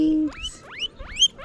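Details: Guinea pigs, with babies present, calling: a steady low tone gives way to a run of four quick whistles that sweep sharply upward, each rising from low to high pitch.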